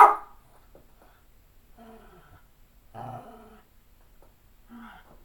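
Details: An 11-and-a-half-year-old Cairn Terrier makes a few soft, low, throaty grumbles and whining moans with pauses indoors, a vocal request for playtime, while another Cairn Terrier is nearby.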